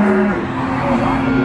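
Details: Cattle calves for sale at Nglangon market in Sragen, Central Java: a short, low steady moo shifts slightly upward in pitch beneath a man's voice and market chatter.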